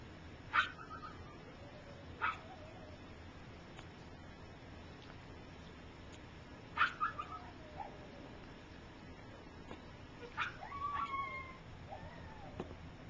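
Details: Gypsy's three-week-old puppies learning to walk while littermates sleep; sharp high squeaks every few seconds, with faint descending whines and a brief wavering whimper near the end, quiet room hiss.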